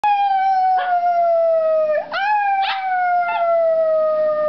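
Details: Shih Tzu howling along with a person singing indoors, a long sustained tone slowly sliding downward across the whole stretch, with short breathy bursts at about one-second intervals.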